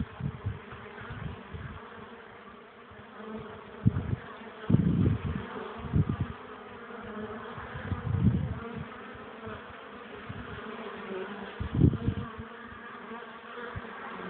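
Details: Honey bee colony at its hive on a sunny, cold, windy April afternoon, 12 °C, foragers bringing in pollen and struggling to land; continuous humming drone throughout, with several strong low wind buffets.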